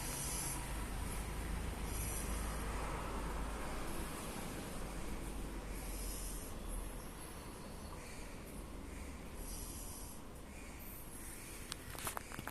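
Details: Sleeping on its back, Oreo the French Bulldog gives a loud snore: deep, rough snorting breaths recurring regularly, with airy hissing exhales, steady low hum behind and a few clicks at the end.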